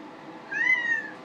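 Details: Pet cat indoors asking for sink water rather than her full bowl: a single smooth meow lasting about seven-tenths of a second that rises gently and then falls, between a person's questions about what she wants.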